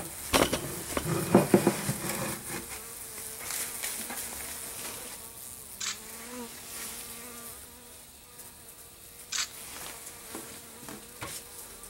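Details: Honey bees brought into a garage tent in December during freezing weather, active after a camera fell on the hives, give a steady low hum with fluctuating pitch, punctuated by knocks and handling clatter.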